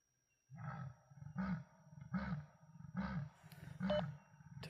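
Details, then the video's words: Leopard rasping while moving on foot in Kruger: five deep, hoarse sawing strokes, each about half a second long and repeated roughly every 0.8 seconds, over a faint steady electronic hum. "Leopard Rasping while on Foot"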